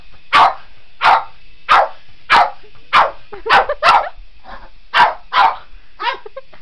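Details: Boston Terrier named Otis going after a remote control helicopter, giving a run of sharp, evenly loud barks about once every half second, a faint constant helicopter whine in the background and a softer whimper at the end.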